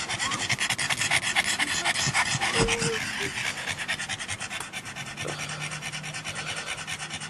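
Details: Pug at a dog park where it mingles with other dogs, panting in fast breathy pulses; a brief squeaky tone midway and a low hum near the end.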